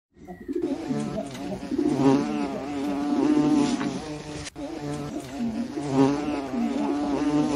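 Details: Hornet buzzing in a low continuous droning hum with rich layered overtones, pitch wavering and swelling in loudness, a sharp click near the middle, otherwise steady throughout.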